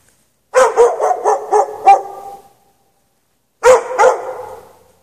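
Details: Dog chained outside in the snow without shelter at night, 3 March 2014, left out from 8 PM until past 11:30 PM; a rapid run of six sharp barks, a pause, then two more barks with a quick echoing decay.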